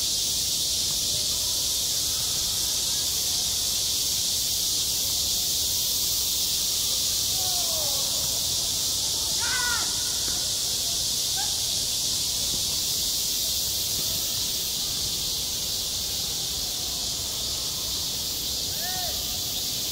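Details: Cicadas droning in a summer school playground, recorded directly: an even, intense high buzzing carpet, while a few hoarse, crow-like calls rise out of it around the middle and once near the end.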